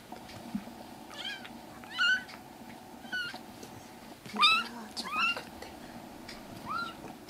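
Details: Rescued kittens in temporary foster care, indoors, giving about six short, high, thin meows over seven seconds. Each meow bends upward then falls, spaced irregularly, over a steady low household hum.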